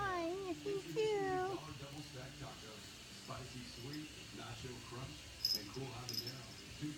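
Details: Two quick high squeaky meows at the start come from Logan, a tabby kitten disturbed while sleepy, followed by a woman talking gently to him in a small room.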